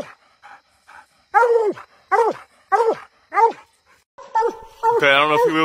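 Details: Bluetick Coonhounds barking treed give loud, ringing barks that fall in pitch, with a person exclaiming nearby.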